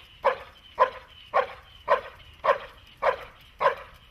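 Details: A German Shepherd or Malinois in protection training barks seven times in a steady, regular rhythm, each bark short and punchy, spaced a little over half a second apart, with no other clear sounds.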